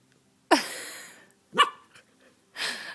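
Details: An 11-week-old Samoyed puppy with hiccups gives three short, sharp, breathy bursts about one second apart. The first burst is the loudest and trails off slowly, and there is silence between them.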